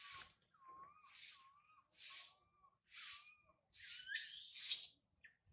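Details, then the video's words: Baby monkey Sario crying high in a tree after her mother Sarah left: loud hoarse shrieks about once a second, each with a faint wavering whistle-like coo underneath, ending in one long strained scream. "Sario crying loudly a lot on the high tree after mother Sarah leave her"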